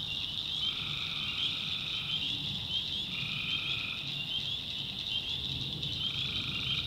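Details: Tree frogs at night in a swamp in the backwoods of North Carolina: a dense, steady high-pitched chorus runs throughout, with lower trills about one to one and a half seconds long repeating every few seconds, over a faint low rumble.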